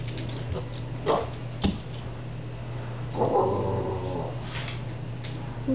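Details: Ralph, a Boston Terrier indoors, wanting his rubber chicken back: short soft whimpers, then a longer drawn-out nasal whine of about a second, with a steady low hum underneath.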